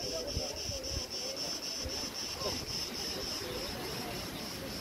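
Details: August 2020 at Preveli Beach, Crete: an even train of high, quick cricket pulses, roughly four per second, rides above a low wash of wind in the trees.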